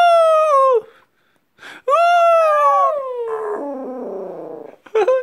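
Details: Pet dog indoors giving long, clear, falling howls, one short then a longer drawn-out one that trails into rougher voiced sounds, ending with a brief yelp.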